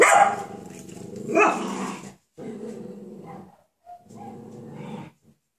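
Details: Coton de Tuléar puppies from one litter, almost six weeks old, playing together, including Cleo and Simba: a sharp bark-like yelp opens the clip, followed by three low, rumbling growl bursts, each about a second long and separated by short pauses.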